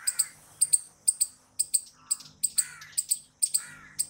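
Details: Loud squirrel chirps, short and very high, coming in pairs at an even pace of roughly two per second, with faint lower whistles in the background.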